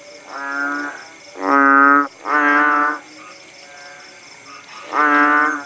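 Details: Countryside frogs (kodok bangkong) in Langsa, Aceh, Indonesia, recorded after rain: about five buzzy, cow-like croaks, two loud ones back to back and one after a pause, with fainter callers and a steady high drone.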